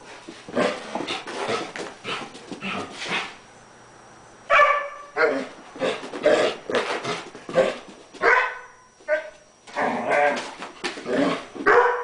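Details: Collie dog barking and growling excitedly while playing with a bone indoors; bursts of rough barks in rapid clusters, with brief pauses between runs and a faint steady high whine in the background.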